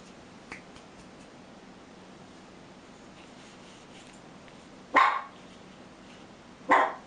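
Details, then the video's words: Biyok dogs at a family reunion, with former puppy Zhara visiting after a trip to the groomer, much joy all round; two sharp, loud barks about two seconds apart over quiet background noise, plus a faint tap early on. "Biyok-Hunde beim Familientreffen"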